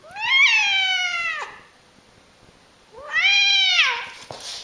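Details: Two drawn-out angry cat yowls, each about a second and a half long, rich in harmonics, first steady then bending downward at the end, separated by a short quiet gap.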